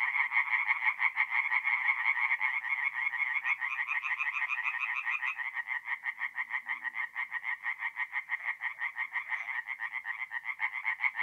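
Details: Forest pond at night in North-East Italy, mid April: a chorus of singing tree frogs, fast rasping pulses that overlap at first, then a single caller's rhythmic croaks stand out more clearly toward the end.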